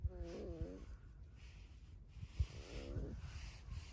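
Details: Alice, a pet red fox kept at home with dogs, gives two short whiny squeaks with stacked harmonics, each bending up then down, about two seconds apart, over low room rumble.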